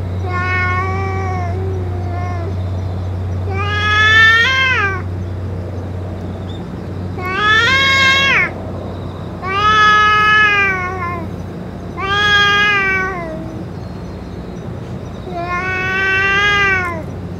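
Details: Boss cat among stray cats, fed food and medicine, gives a series of six drawn-out meows roughly every two seconds, each bending up then falling, over a constant low-pitched hum.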